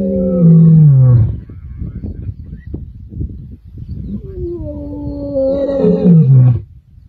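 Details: The Kambula male lions roar on 14 December 2023 in deep, harmonic moans that slide downward and fade into low grunting.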